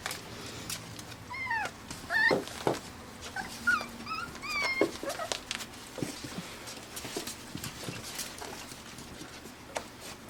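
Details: Arkansas-bred Pembroke Welsh Corgi puppies, five weeks old and born June 20, 2026, give repeated high, bent whines and yips in the first five seconds, then mostly clicks and rustling with a few faint cries.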